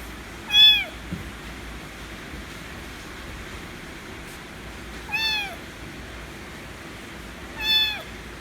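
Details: A white kitten calls loudly for affection, giving three separate falling meows several seconds apart against a quiet, humming background.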